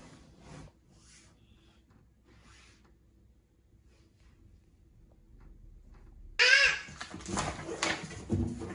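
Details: Indoor cats, a Norwegian Forest Cat and a Ragamuffin, in a fight that a daughter breaks up. After a quiet stretch with faint rustles, a sudden loud harsh yowl bursts out, followed by rough hissing noise.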